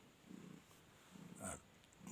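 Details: Mother cat Flori purring contentedly at the Noyabati cat market, Khulna, as her kittens suckle milk. Low soft rumbles broken by a short rustling knock midway.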